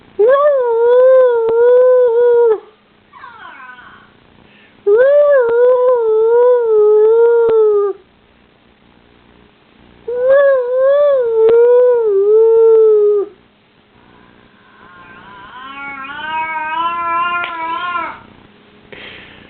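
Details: Domestic dog giving three long warbling howls of about three seconds each, starting with a quick rise and gently falling, with softer whiny tones between them and a higher, quieter wavering whine near the end.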